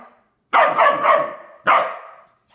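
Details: A standard poodle puppy scolding his water dish gives a quick run of three sharp barks, then one more after a short pause, before the dish tips over.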